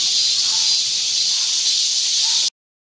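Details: Cicadas singing in the midsummer heat, tagged to Guro-gu's Ogeum Children's Park and Mugunghwa Park: a steady, unbroken high hissing drone with no pulses or pauses, cutting off abruptly after two and a half seconds.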